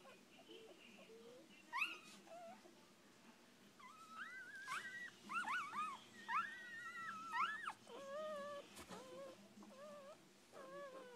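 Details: Six-day-old puppies from a rescued mother dog, crying indoors with thin, whining squeals that rise and bend, some short and some drawn out, coming in irregular bursts of overlapping voices over a low steady background hum.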